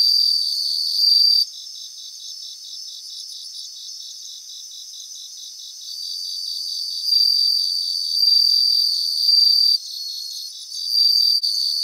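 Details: A grassland chorus of singing bell crickets: repeated high, bell-like trills, each lasting a second or two, come and go above a steady beaded pulsing. The chorus is thick and continuous, with nothing else audible.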